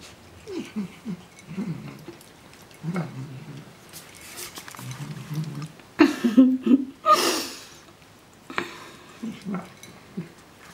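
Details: Emile, a pet cat, grunting and ranting because of the other cat, Kiri, even while eating; short low grunts come in uneven bursts, with a louder, harsher outburst midway, indoors.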